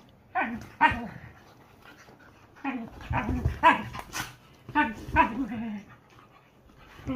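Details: A whippet and a silken windhound, best friends, playing: rough growly barks and whiny yelps in short bursts, with snarling grumbles between them and pauses of quiet.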